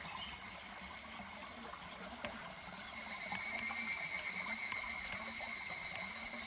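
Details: Higurashi cicada near a stream at Kuragari Pass in July. High, even trilling grows louder halfway through into pulsed, rhythmic waves, with the soft rush of the stream behind it.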